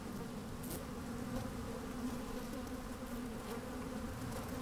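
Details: Microphone placed down inside an open hive of working honey bees on a fine sunny day; a continuous rich buzzing hum, steady in loudness, with a clear mid-pitched tone and light scratchy rustling of moving bees.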